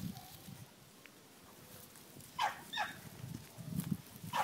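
Pembroke Welsh Corgi puppies give a few short, high yips against a low background rumble.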